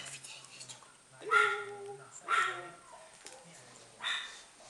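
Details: White Chihuahua puppy named Nina giving three short, high, ringing yaps about a second apart, with a longer pause before the last; faint indoor murmur and voices underneath.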